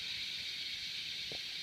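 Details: Cicadas produce a steady, unbroken high-pitched buzzing hiss that holds at an even level throughout, with a brief faint low thump near the end and no voices.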